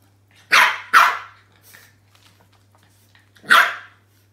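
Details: Roscoe, a French Bulldog puppy wary of his new toy inside the house, lets out two quick, sharp barks in a row, then a pause of silence before one more loud bark.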